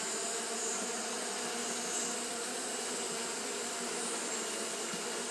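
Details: Japanese honey bees fanning continuously on a hot day, giving a steady, even droning hum with low tonal bands that hold without a break, overlaid by a constant high-pitched hiss.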